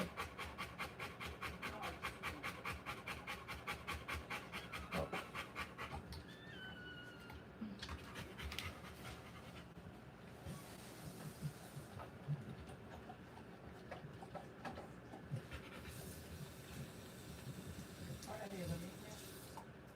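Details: Rottweiler in labour, delivering puppies, panting rapidly at first, then breathing becomes irregular amid rustling, faint whines and scattered handling noises.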